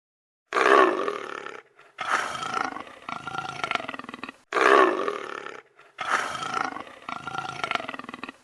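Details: Leopard (Panthera pardus), roar.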